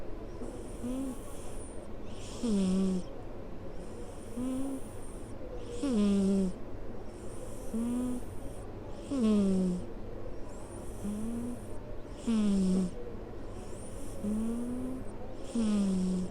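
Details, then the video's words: Snoring of a sleeping office cat curled on someone's lap: a steady rhythm of about nine slow breaths, roughly one every two seconds, each with a soft nasal rasp and a short whistle that drops in pitch. "膝で眠る猫社員のいびきSnoring of a cat employee sleeping on his lap"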